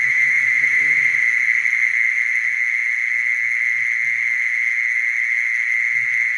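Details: Continuous, even churring trill of a mole cricket, a single sustained high pitch with no breaks, over faint low murmuring sounds early on that fade away.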